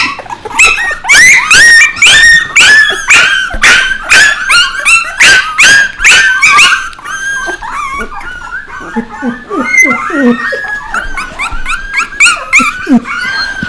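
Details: Group of puppies crying at once: loud, rapid high-pitched yaps and squeals crowding the first half, easing into softer, wavering whines and scattered short yips toward the end.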